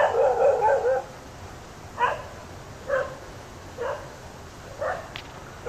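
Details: Ooty dogs facing a cheetah attack: a long, wavering whine-like cry for about a second, then single loud barks spaced about a second apart, five in all, over low background hiss.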